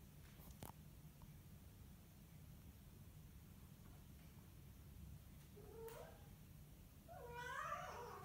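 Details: House cat having a burst of zoomies indoors: a low steady hum, then a short meow near six seconds, followed by a longer, louder, wavering meow toward the end.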